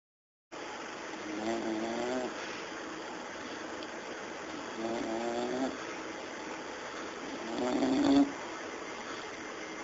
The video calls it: english bulldog snoring